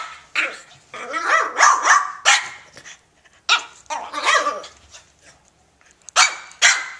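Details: Playful French Bulldog named Elmer romping with a cat, giving irregular gruff barks blended with growly, grumbling noises, in bursts separated by short pauses.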